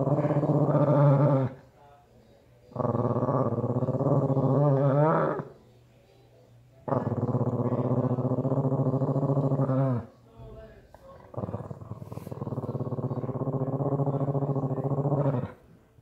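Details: In Sun City Summerlin, Las Vegas, Nevada, a Shih Tzu watching over a green belt where coyotes roam gives long, low, growling bouts of a few seconds each with brief pauses, facing off with a coyote. Finding: Shih Tzu.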